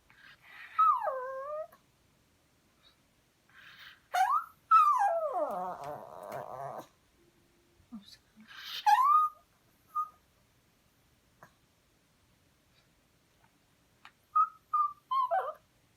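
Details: Tori, a pet dog, whimpers and howls indoors while begging to eat beef. Whining cries slide downward, including a long wavering howl near the middle, then a few short yips and whimpers toward the end.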